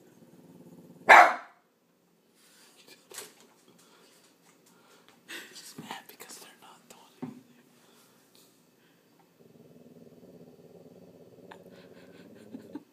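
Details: Boston terrier frenchton on watchdog duty barks once loudly near the start; people then talk and whisper, with scattered thumps and low household hum.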